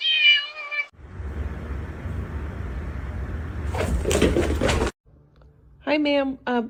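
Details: Domestic cat meowing: a short bright meow at the start, then a long stretch of hissing noise and clatter, and two more meows near the end, with human speech mixed in.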